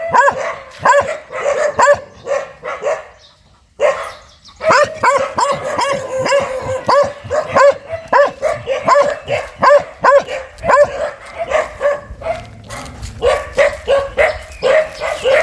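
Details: Vicious-sounding dog barking in dense, rapid volleys, a short pause after three seconds, then continuous sharp barks with rougher noisy bursts near the end.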